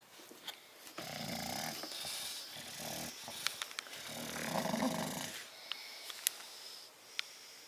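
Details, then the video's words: Two bulldogs sleeping in a crate, one snoring with rough, uneven breathy rasps over several seconds, punctuated by small clicks and shuffling noises. "Bulldog sleeping and snoring in crate"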